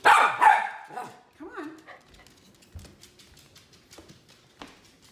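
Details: Teddy Bungoo, a miniature red poodle, barks for a treat: two sharp, loud barks open the moment, then quieter whines and a person's voice telling him to sit.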